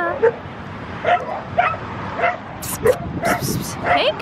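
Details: Dog giving a run of short, high yips about every half second, some with a whining edge, while a person talks and soothes it throughout.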